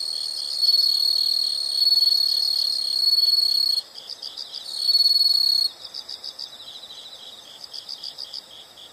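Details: High insect sounds: a loud, shrill, unbroken trill alternates with quieter stretches of regular, pulsing chirp bursts, the trill cutting in and out twice before the chirping carries on alone.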